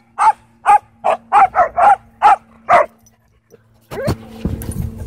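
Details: At a dog park, an angry dog fires off about eight sharp barks in a fast, even series, followed by a brief rising whine and some rustling.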